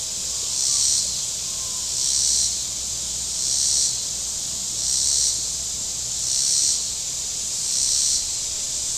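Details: Cicadas on the shore of Table Rock Lake in southern Missouri on a very warm Saturday: a high, hissing buzz chorus that swells and fades in regular pulses roughly every one and a half seconds, with a faint low rumble beneath.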